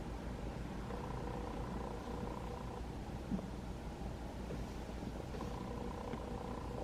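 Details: Continuous deep purr from a roughly five-month-old rescued kitten stroked by its caretaker during home training after TNR capture, its volume gradually increasing; an even, pulsing rumble with no pauses and only slight background hum.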